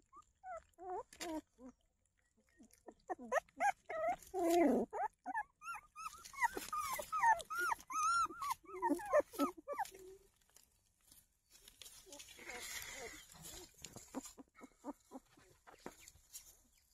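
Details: Newborn puppies, eyes newly open, hunt for their mother with rapid high wavering whimpers and squeals from several pups, repeated in quick bursts for ten seconds, then fading to soft rustling and snuffling.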